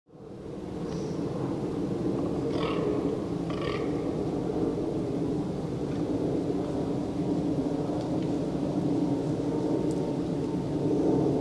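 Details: A fallow deer during the autumn rut in Poland gives deep, rough rutting groans that rumble steadily, with a few faint bird chirps above.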